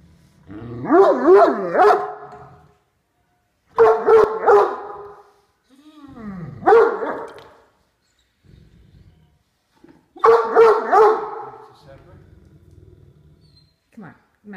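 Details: Female Great Dane, a pet dog indoors, growls at her brother while eating dinner in her favorite chair, warning him away from her food. Four loud, voiced, tonal grumbling bursts, each about a second long with wavering pitch, separated by short pauses.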